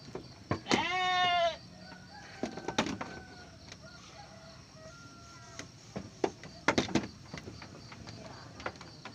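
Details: Garut sheep ewe giving birth to triplets: one loud, wavering, harmonic bleat lasting under a second, followed by scattered clicks, knocks and quiet rustling in the background.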